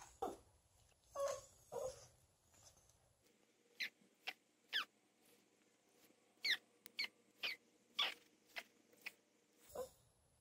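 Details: Poodle-Japanese Chin mix dog, two years three months old and 14 lbs, howling on 1 March 2021; a few short wavering howl notes early, followed by a scattered series of thin high squeaks and yips, indoors with little background.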